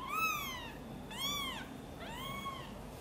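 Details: Angry mother cat meowing while her kitten Guitar is helped out of a box and carried close to her: three loud, drawn-out harmonic meows, each rising then falling, about one per second, in a quiet room.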